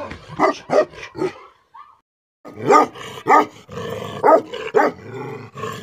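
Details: Deep, angry barks of a Tibetan Mastiff, called Bhote Kukur in Nepal: three barks, a short silence with a faint high squeak, then a renewed series of loud harsh barks over a rough, noisy background.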